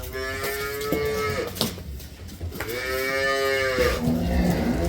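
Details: Milking cow at a dairy farm in Domar, Nilphamari, Bangladesh, among a herd of 18 to 20 collected from Gaibandha, gives two higher-pitched drawn-out moos, each about a second long, separated by a short pause with faint barn noise.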